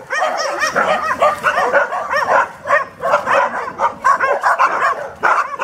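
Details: Dog during a training session in Genoa, Italy, where an AmStaff female named Venus and a Staffordshire Bull Terrier male named Zeus are worked; rapid high yelping barks and whines follow one another almost without pause.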